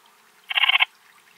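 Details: Eastern Mountain Bush-cricket (Antaxius difformis) singing at Timmelsjoch, Italy, on 26 August 2022: a single short buzzy chirp of about eight rapid pulses, lasting roughly a third of a second, against quiet background.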